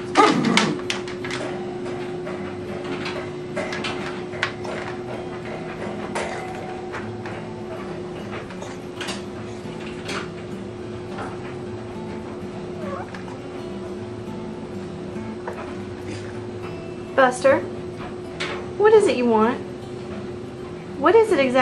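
A Dachshund makes short squeaky chirps and throaty gurgles to ask for what he wants.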